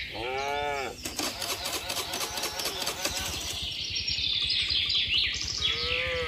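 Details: Tame cattle herd with calves running home to the farm barn in the rainy season: a short low moo opens, another lowing call closes, and busy chirping birds fill the high range throughout.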